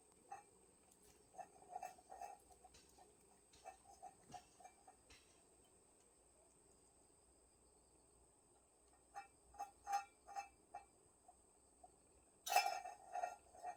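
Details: Cat family hidden in a woodpile, recorded 20 August 2022: bursts of short, harmonic mews repeated in quick runs at the start, a quiet stretch, then louder clustered cries near the end.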